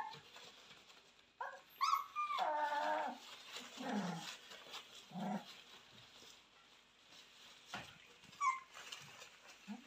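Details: Purebred Cane Corso puppies raised indoors, born 18 October 2022, heard against a steady room hiss: a couple of high wavering whines near the start, then scattered low grumbles and a short squeak near the end.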